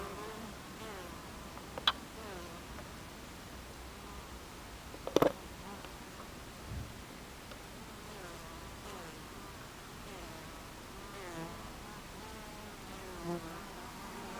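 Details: Honey bees at a beehive entrance on 26 July 2013, mid-afternoon: a steady, low, wavering hum from many bees with shifting overtones, broken by sharp clicks near two and five seconds.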